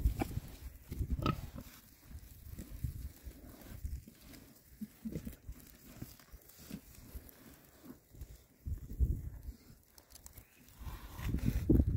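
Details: Six happy male Oxford Sandy and Black pigs, a rare breed, foraging in winter between storms; low, rumbling grunts repeat in irregular bursts, louder toward the end, with soft rooting noise between.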